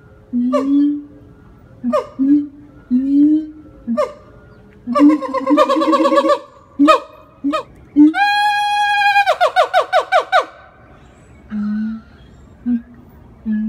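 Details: Captive siamang, a black-furred gibbon, howling at a Florida zoo: deep hollow booms and short rising whoops repeat about once a second, swelling into a long ringing scream and a fast train of descending yelps before low booms resume.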